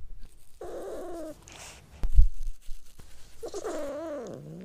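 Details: Cat uttering two wavering, nasal meows, one early and one longer, bending call near the end, separated by a thump and faint rustling in a quiet room.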